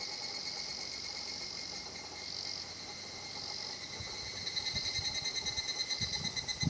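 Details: Higurashi cicada song at a tranquil nature spot in Japan, a sustained high metallic shimmer with quick pulsing, joined in the last seconds by low thumping and rustling handling noises.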